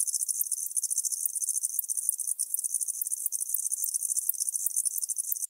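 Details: Continuous pulsed stridulation from a tropical house cricket, Starnberg, Germany, 19 November 2021. A thin, very high, metallic chirping repeats quickly and evenly, broken by a few brief dips, over a noise-cleaned quiet background.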